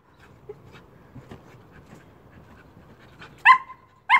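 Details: Old English Sheepdog named Amy, jumping: after about three seconds of faint background rustle, two loud, sharp barks arrive roughly half a second apart near the end.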